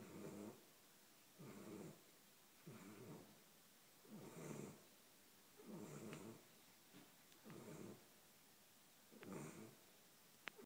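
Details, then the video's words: Thirteen-week-old Golden Retriever puppy snoring in her sleep, steady raspy inhalations repeating about every 1.5 seconds, with a few faint clicks and a sharp tap near the end. "Snoring Puppy"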